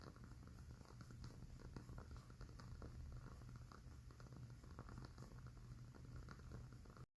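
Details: Cat settling into sleep while purring, a low even vibrating drone across the whole stretch, accompanied by fine crackling from a candle, ending abruptly in silence.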